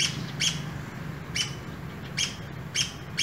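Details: One of a pair of urban squirrels, met on an early morning walk, gives bright, sharp chirps. There are about six across the stretch, with uneven gaps, over a constant low rumble of passing vehicles.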